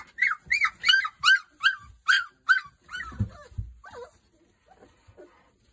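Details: Boerboel pups at three weeks old, sired by Kodak out of Rhianna, yelp in a rapid series of high, arching squeals, roughly two or three each second, fading into softer whines with some low bumping.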